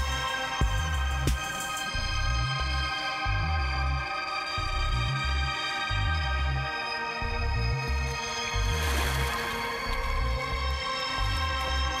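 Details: Electronic music with a steady throbbing bass beat and sustained synth tones plays throughout, and no animal is heard.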